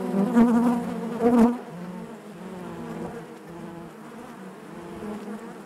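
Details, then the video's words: Honey bees in the hive: two loud close buzzes in the first second and a half, then a softer, steady colony hum with gentle wavering pitch. "bees therapy hive natural buzzing sound"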